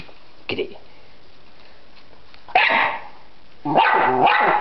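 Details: Dog named Freddy barking at a butterfly in a yard: a faint short yip, then two harsh drawn-out barks, the last one long and wavering.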